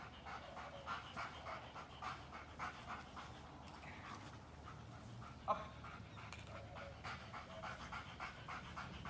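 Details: Belgian Malinois dog pants in fast, even, breathy puffs that continue without pause, over a low background hum and one short sharp click midway.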